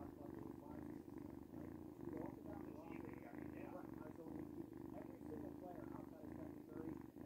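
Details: Luna the cat, described as noisy, purrs continuously indoors, a deep throbbing rumble of fast regular pulses that swells slightly and then settles for the whole stretch.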